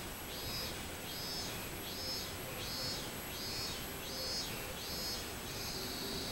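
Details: Robust cicada recorded on 24 July 2016. A steady series of arched, buzzy high-pitched phrases repeats roughly every 0.7 seconds over a constant background hiss.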